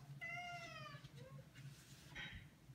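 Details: Maine Coon cat indoors begging to go outside, giving a long clear meow that starts high and slides gently downward, then a short second meow; a constant low hum and a person speaking to the cat.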